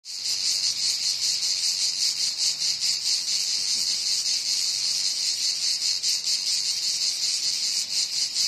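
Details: Cicada calling loudly with a continuous, shrill buzzing drone, slightly pulsing several times a second, steady throughout with no other clear sounds.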